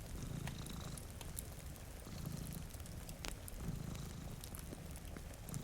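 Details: Two cats dozing by a rainy window near a fire, purring in a soft low rumble that pulses about every one and a half seconds, backed by rain and intermittent crackling.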